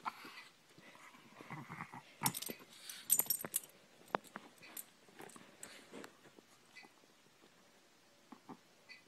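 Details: Pet dog humping its beloved toy indoors: a cluster of wheezy, snorting grunts and breathy bursts early on, tapering to sparse soft sounds and near quiet by the end.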